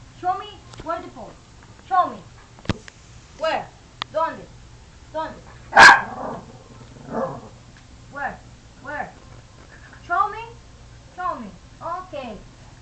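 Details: Pet dog "talking", producing a long series of short, falling, yowl-like vocal sounds roughly once a second, while a person keeps repeating "where" and "show me", with one sharp clatter midway.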